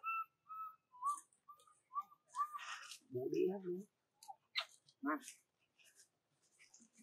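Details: A baby monkey, an orphan, cries for its mother in a string of short, clear, whistle-like coos until it falls asleep.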